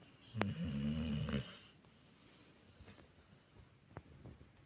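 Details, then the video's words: Sleeping American Staffordshire Terrier lets out a single loud, low, rattling snore of about a second, then quiet room tone with soft breaths and faint ticks. "Может ли храп быть уютным?"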